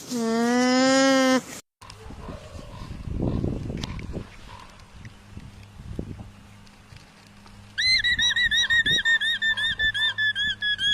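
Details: Alpaca opening with a wavering nasal tone, then rustling and shuffling noise, then a rapid run of high-pitched, squeaky, bleating calls repeated about three times per second.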